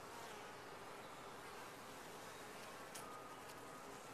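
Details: Colony of bees in a top-bar hive, heard as a quiet, continuous droning hum without pauses, with one or two faint ticks near the end.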